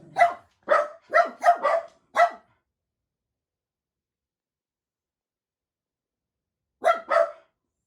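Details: Jack Russell Terriers, a household of four, excitedly waiting for their owner to come home; six quick sharp barks within two seconds, a long silence, then two more barks close together.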